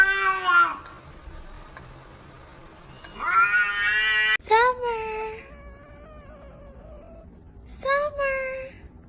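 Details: Domestic cat meowing in a talkative, human-like way: four drawn-out harmonic meows, some rising then falling, spread across nine seconds with quiet gaps between, a brief human voice nearby.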